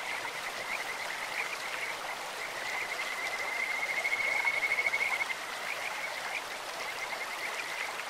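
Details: Kajika frogs croak beside a clear stream. A shrill, whistled trill builds to a peak midway, then eases off, set against continuous splashing, trickling water.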